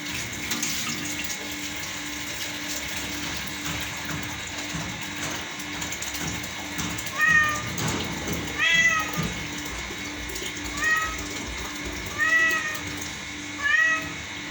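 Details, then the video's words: Domestic cat, described as singing a song, starts meowing after a quiet start with a steady hum. It gives five short, arched meows spaced a second or two apart. "Cat Sing a Song"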